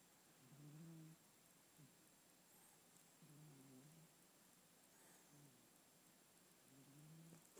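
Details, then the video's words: Domestic cat snoring while asleep, likened to a man with sleep apnea; soft, low, rasping snores repeat about every two to three seconds in a quiet room. "the cat snores"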